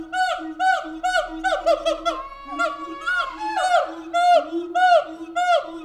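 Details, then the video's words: Siamang apes at the Tulsa Zoo calling loudly: dense overlapping harmonic whoops and barks, some rising and swooping, repeated rapidly and irregularly throughout with no pause. "Siamang apes making noise at the Tulsa Zoo"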